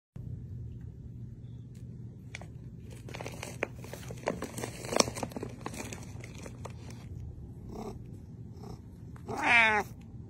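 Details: Pet cat that the owner jokingly says lives in a paper cave, purring indoors: a steady low rumbling throb throughout, with rustling and crackling of paper in the middle and a short rising-then-falling meow near the end.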